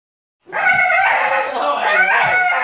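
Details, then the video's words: Bull terrier making a weird noise: a continuous, strained, whining vocal sound with strong harmonic bands, held steadily for about two seconds after a short silence. "Bull terrier make weird noise"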